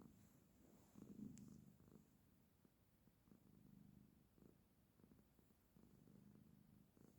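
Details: Soft, distant-sounding purr of a female cat resting with her owner: gentle rumbling surges rising and falling with each breath, over light room hiss.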